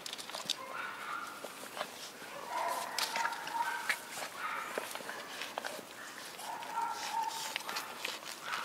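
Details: Quiet, drawn-out whimpers from a litter of four white schnauzer puppies born 3 and 23 September, thin nasal tones rising and falling, mixed with scratching, shuffling and faint voices.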